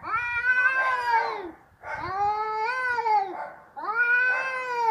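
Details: Angry cats in a noisy fight trade three long, harmonic-rich yowls, each swelling then dropping away, separated by brief pauses, the voices overlapping and wavering.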